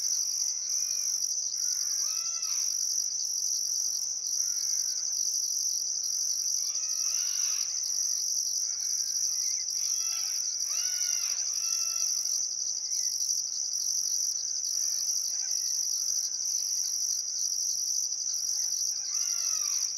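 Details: Australian crickets at sunset on the Barcoo River, Welford National Park, Outback Queensland, in still summer weather, holding a constant high trill and a rhythmic pulsed upper band, scattered short bird calls throughout.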